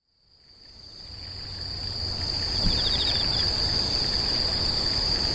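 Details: Insects screeching, fading in from silence to a steady, piercing high continuous trill, with a faint run of quick pulsed chirps at about 2.5 seconds, over a low rumbling background.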